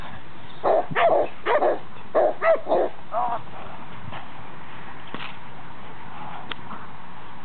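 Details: Boxer dog at its first protection training session with a decoy wearing a sleeve, barking in quick bursts of two or three, about twice a second, then falling quiet with faint background noise.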